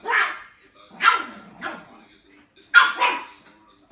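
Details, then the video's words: Puppy yapping in short, bright barks: three spaced yaps, a brief pause, then a quick double bark and another starting at the end, with quiet surroundings between. "Puppies Barking - A Cute Dogs Barking Videos Compilation"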